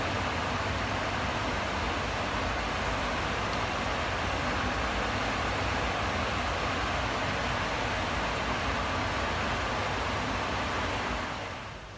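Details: Steady broadband rumble resembling vehicle or train noise runs throughout and fades near the end, with no animal voice heard.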